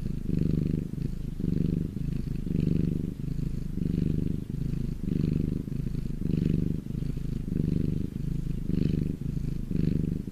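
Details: Sun-warmed domestic cat giving a rich low purr, rhythmic rumbling bursts roughly every second with brief softer gaps between breaths.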